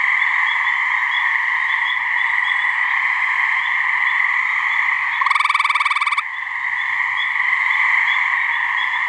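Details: Mating call of the gray treefrog from a New Hampshire swamp, two frogs present: one loud, quick pulsed trill near the middle, about a second long, surrounded by a continuous droning chorus.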